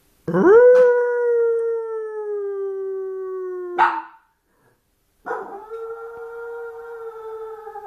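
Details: Lonely small Maltese puppy crying: long tonal whines that rise quickly then hold steady and slowly sag, a brief harsh burst near the four-second mark, then another sustained whine after a short silence.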